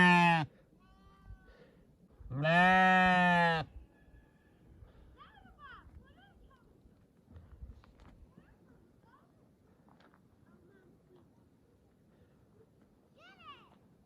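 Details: Sheep bleat: one loud, harmonic, slightly quavering cry near the start, then a long stretch of low background noise with faint distant calls and rustling.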